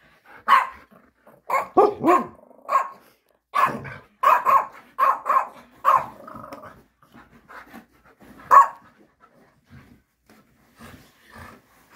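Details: Happy Alaskan Malamute puppy Aria breaking into a joyful dance and having a few things to say. Rapid run of talkative, harmonic barks and woo-like yelps, then a single loud bark and softer grumbles trailing off.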